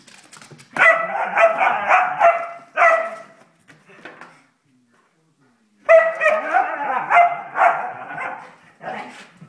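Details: Playful whippet barking in two long rapid runs of sharp, bright barks roughly two per second, separated by a few quiet seconds, indoors.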